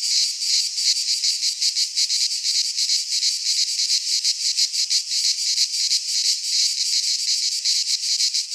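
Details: Cicadas sing in midsummer in a pine forest of Greece, an intense sizzling drone beating in fast rhythmic pulses, roughly three each second.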